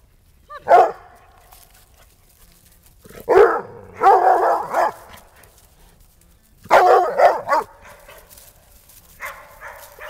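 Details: Barking from coonhounds Tanner, Goldie and Siegfried, with toy rat terrier Lewis in the household: a single bark, then loud clustered runs of deep, rough barks at three and seven seconds, and a softer trailing bark near the end.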